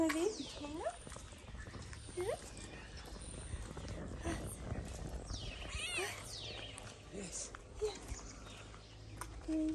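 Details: Kitten from among the homeless street cats fed in Morocco, pampered with food; a handful of short arching meows scattered across the stretch, one cluster of higher rising cries midway, over steady coaxing human talk and low background hum.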